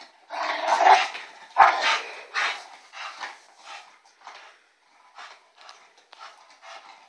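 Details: Bulldog Elsa making crazy ewok-like sounds: two loud, rough, drawn-out grumbling yowls, then a series of softer, shorter huffs and grunts that trail off.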